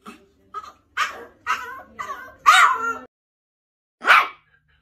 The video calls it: Yorkshire Terrier Barking Sounds To Make Your Dog REACT